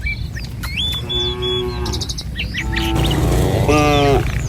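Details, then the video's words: {'caption': 'Morning herd of tame village cattle walking a rural road toward pasture. Two drawn-out harmonic moos, the second louder and closer. Birds tweet sharply over a steady background rumble.'} "Suara Sapi Mouu"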